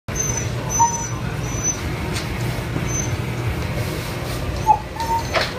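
Steady low engine rumble like a vehicle interior, with a few faint brief squeaks and no clear animal voice.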